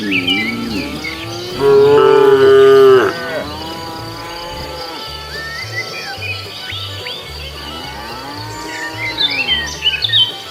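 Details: Cows wandering leisurely along a road looking for food; a loud, drawn-out moo with a steady tone rises over a couple of seconds, a softer moo follows near the end, with bird chirps and a rhythmic low musical beat underneath.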